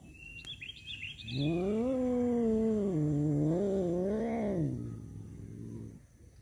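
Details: Male domestic cats fighting over a female produce a long, wavering yowl that rises, dips and swells again before fading, over steady background hiss and faint bird chirps.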